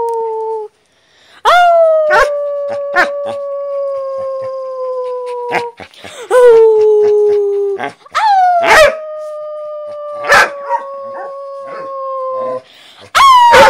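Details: Dogs howling: long steady tones near the same pitch, each held about four seconds and gently falling, starting with a sharp rise, separated by brief gaps and short clicks or knocks.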